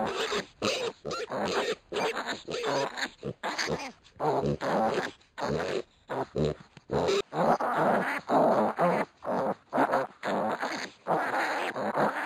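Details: One-week-old pot-bellied piglets wrestling and scrapping together, giving rough grunts and squeals in short bursts, roughly two per second, broken by brief pauses.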